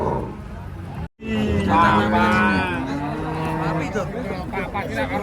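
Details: Cattle from the first arriving truck in a busy crowd: after a brief cut, a drawn-out lowing moo slides slowly downward, with human voices and general bustle mixed in.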